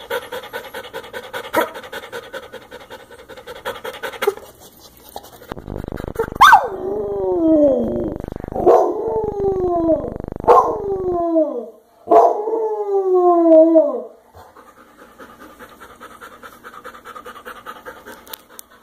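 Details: Velcro dog panting rapidly, then breaking into four loud cries. Each starts with a sharp onset and sweeps down in pitch over one to two seconds. Steady panting resumes afterward.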